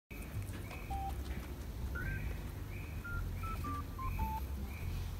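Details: A guinea pig doing what the owner calls its squeaky dance gives a run of short, clear squeaky whistles that step down in pitch over low rumbling.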